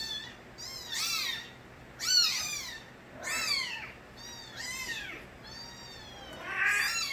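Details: Baby kittens of the street cat Nabi crying: piercing arched meows, some paired and overlapping, spaced irregularly over seven seconds, a thin background hum.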